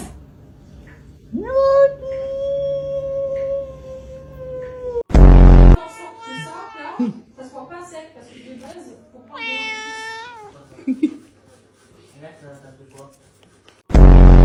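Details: Talking pet cat: a long, level meow held for about four seconds, then a loud noise burst, followed by softer broken chatter-like meows and one bright, wavering meow, ending in another loud burst.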